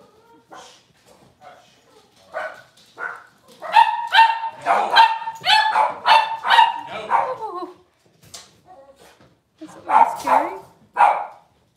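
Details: Six-week-old Cavalier King Charles Spaniel puppies being dewormed and having toenails trimmed indoors; sharp, high yelps and short barks come in uneven bursts, a loud run of them mid-clip, with people talking between them.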